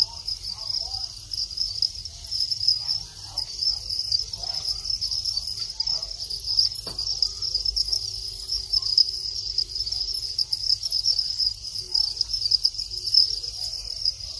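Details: Farmed Thai crickets breeding after their final moult, males chirping to start mating; continuous high pulsing trills from many insects, one sharp click midway, then a faint steady low tone for a few seconds.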